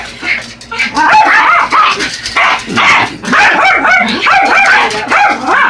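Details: Two Yorkshire Terriers, Buddy and Elmo, attack a radio-controlled truck with dense, overlapping high-pitched yapping barks and growly snarls, barely pausing, the motor's whine faintly audible beneath.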